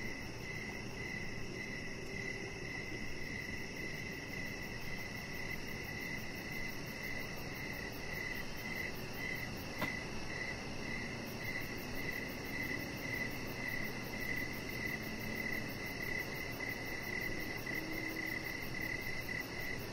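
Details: Crickets chirping in the evening around a decorated deck with a chihuahua lying on it; a continuous high pulsing trill persists throughout, with faint low murmuring sounds and a brief click midway.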